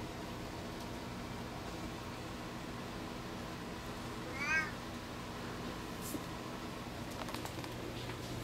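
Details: Indoor play between two cats, a two-month-old Lynx Point Ragdoll/Javanese kitten named Khan and an adult Applehead Flamepoint Siamese rescue named Toby; one short rising-falling harmonic meow midway, over a steady low room hum.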